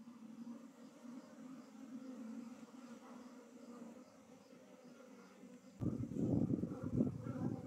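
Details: Honey bees being moved from a traditional log hive into a modern hive during beekeeping: a steady, low droning hum with layered overtones for about six seconds, then broken by loud rustling and handling noise near the end.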